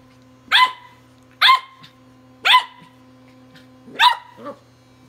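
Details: Tri-color Welsh Corgi puppy named Walter yapping at a Sonicare toothbrush in play: four bright, clipped barks roughly a second apart, the last followed by a softer yip, over a constant low mechanical hum.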